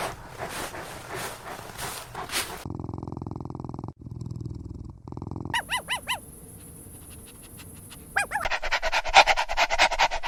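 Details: Puppies of several small breeds (Pomeranian, Chihuahua, Maltipoo, Poodle, Bichon Frisé) playing. A run of high, arched yelping barks sits midway between abrupt cuts of other household sounds and hum.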